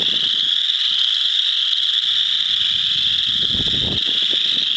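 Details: A dense chorus of chorus frogs in a frog pond, with a few wood frogs too: countless short, high, creaky trills merge into a continuous ringing wall of sound, with low wind or handling rumbles underneath.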